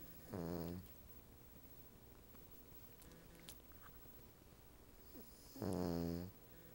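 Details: Female Cavalier King Charles Spaniel asleep on the back of a couch beside a napping Siamese cat, snoring twice, each a short low rattling breath, about five seconds apart with quiet in between.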